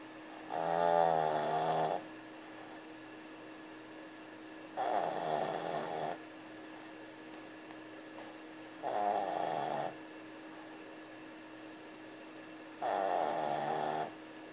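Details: A female Boston Terrier, described as a heavy snorer, snores in slow, rattling breaths, one roughly every four seconds.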